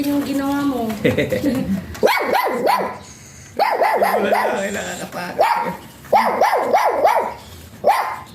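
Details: Jinbie, a small-type Pomeranian, lets out sharp, high-pitched yaps in quick bursts of three or four, with pauses between bursts. Music plays underneath throughout, and a voice is heard at the start.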